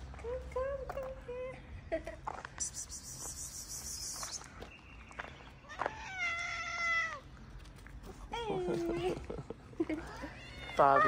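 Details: Homeless street cats in Morocco, tails up and happy to see people who feed them daily, give a run of harmonic meows, some rising then falling, several overlapping, with scattered human calls and rustling between them.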